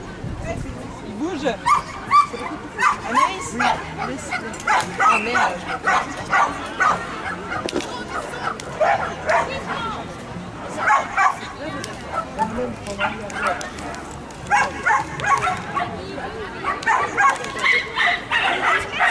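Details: At a Belgian agility contest in Herentals, the French Bulldog Anjy barks in loud clusters of short, yappy barks separated by brief pauses, while voices and crowd chatter fill the background.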